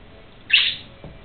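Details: Single brief high squeak from a young gerbil, eyes still closed, out of the nest after its mother pushed it out while tending the nest; a sharp burst that fades quickly, followed by a soft thud.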